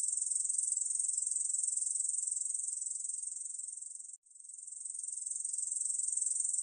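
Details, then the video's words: Korean bush cricket song: a shrill, rapidly pulsed buzz that runs unbroken, fades slightly, stops for a split second just past four seconds, then resumes at full strength. "중베짱이, 여러번 듣기, 곤충소리"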